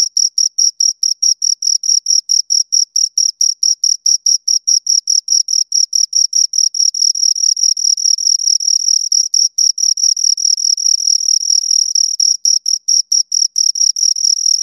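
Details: Two crickets chirping close up in a long continuous take: high, clean pulses with an overtone above, repeated rapidly and steadily, at times merging into near-continuous trills; nothing else audible, no background noise.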